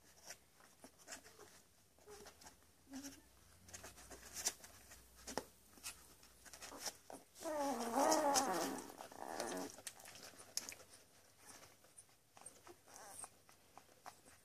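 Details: Ten-day-old Labrador Retriever puppies in Uruguay, eyes nearly open, spending their days nursing and sleeping; soft shuffling and faint squeaks, then one loud, wavering, high-pitched whining squeal near the middle, followed by quieter rustling.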